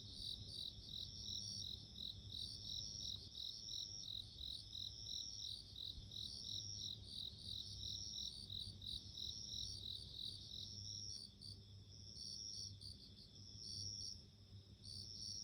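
Bell crickets ring steadily with high, clear, bell-like trills, pulsing in repeated bursts.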